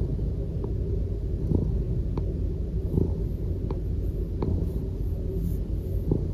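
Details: A Norwegian Forest Cat (Felis catus) lounging contentedly and affectionately on its owner purrs in a deep, steady, continuous low rumble.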